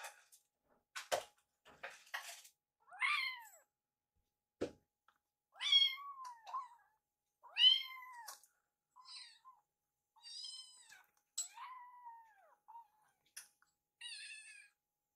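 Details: Young rescued kittens meowing during feeding, Yuki nibbling leftovers after Piyo is full; quick series of thin, rising-then-falling mews, some faint and overlapping, with soft taps.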